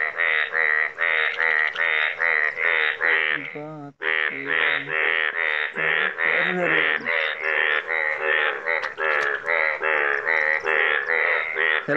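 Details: Yellow frogs in Nepal calling: a dense run of nasal, harmonic croaks repeated about three times a second, overlapping one another, with a short break near four seconds and a low voice briefly underneath.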